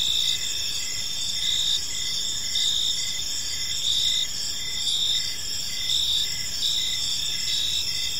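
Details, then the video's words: Crickets in an evening park produce a steady shrill trill mixed with pulsing chirps roughly every second, a dense insect chorus with soft low ambient noise underneath. "Cricket Sounds in a Peaceful Park"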